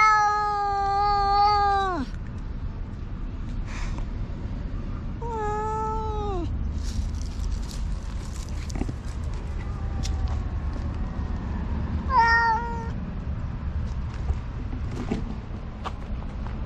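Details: Two black cats in a loud quarrel: a long falling yowl, then a shorter wail and a brief high cry later, separated by low background rumble and scattered clicks.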